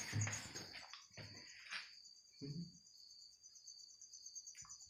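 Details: An insect trapped inside a bottle gives a steady, high, finely pulsed trill that runs without a break, while loud knocks and rustles of handling punctuate it.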